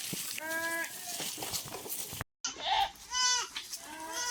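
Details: Thirsty farm goats in scorching heat give short wavering bleats, one early and two more near the end, with a brief cut to silence partway through. A steady rustling background runs throughout.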